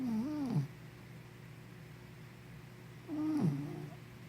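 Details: Henna the puppy asleep and snoring, two low wavering snores about three seconds apart, each sliding upward then falling off into a rough growly rattle, against a faint constant hum indoors.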